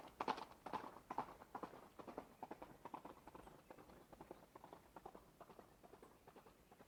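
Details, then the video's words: Horse running, hoof strikes strongest at the start, then a quick, even clip-clop rhythm that steadily softens and fades toward the end. "Horse running"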